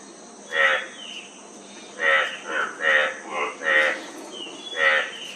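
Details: Several frogs giving separate nasal croaks, some louder and closer, others softer, spaced irregularly about once per second over a faint background hiss.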